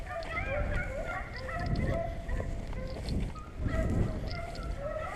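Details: Hunting beagles on a rabbit chase in Vera, Virginia, bawling together: goose-like honking bays stack and overlap in two bursts, with quieter gaps between and low outdoor rumble underneath.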